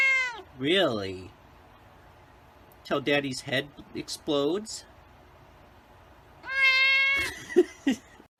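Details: Meows from a white cat: a bending, wavering call at the start, a quiet pause, clusters of short broken notes, then a long clear meow tapering into rougher sounds.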